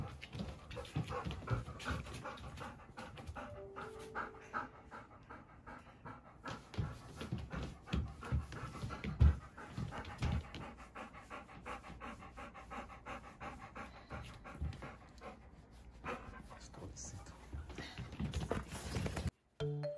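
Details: Female Golden Retriever, ten years old, panting hard during a shampoo. Rapid, breathy, rhythmic huffs continue throughout with small loudness peaks, then end in a sudden cut near the close.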